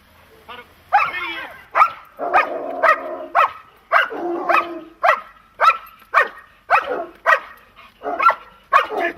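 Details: German Shepherd or Malinois during protection training barking in a fast repeated series, roughly two barks a second, with a shouted command and a steady background hum.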